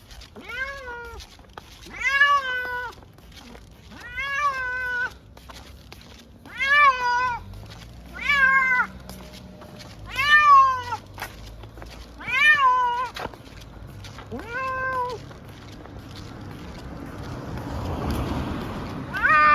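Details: Munchkin cat on the way to an animal hospital for a blood test, meowing in a steady series of about nine arched, harmonic-rich cries spaced roughly two seconds apart, followed by a low rumble toward the end.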